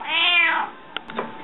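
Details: Hungry pet cat Rika meowing indoors: one loud drawn-out meow, rising then falling, lasting about half a second, followed by a few soft clicks and quiet room sounds.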